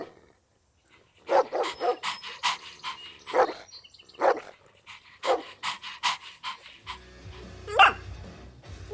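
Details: Playful puppies tussling over toys on grass bark in quick uneven bursts of sharp yaps, with a faint tone and a brief low rumble near the end.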